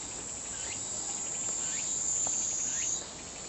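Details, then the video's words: Kaempfer cicada giving an even, shrill, hissing drone. It swells slightly and then drops in level near the end, with a few faint short chirps behind it. "著作権フリーの効果音 ニイニイゼミ"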